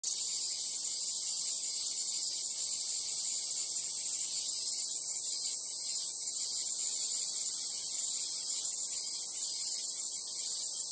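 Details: Japanese cicadas in summer at the Imperial Palace, Chiyoda City, Tokyo: an unbroken, shrill, high-pitched droning chorus that holds steady throughout with only slight pulsing in intensity.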